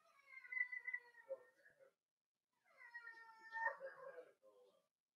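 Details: Two drawn-out, reedy whines come from four-week-old Cavalier King Charles Spaniel puppies as they are socialized with adult dogs in a room at home. Each cry holds a level pitch for over a second, then breaks into a rough, quavering finish.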